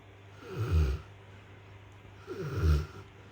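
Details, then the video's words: Rottweiler named Mason, flat out asleep indoors after a hard day, snoring: two low rumbling snores about two seconds apart, each a short rough burst with a steady faint hum between. "Is that snoring??? from our Rottweiler Mason"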